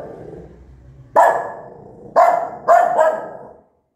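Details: Angry mother dog barking loudly near her newborn puppies: three sharp, harsh barks spaced about a second apart, the last one doubled, over a low rumbling background.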